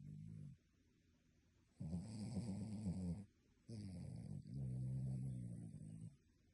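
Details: A dog asleep, its snores strikingly human-like: two long, harsh rumbling snore bursts of about one and a half seconds each, low and gravelly, with a brief quiet gap between them.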